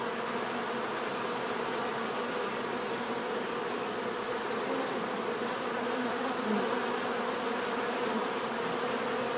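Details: Bees buzzing together in a steady, layered drone, with a few nearer insects briefly swelling above the background hum toward the end.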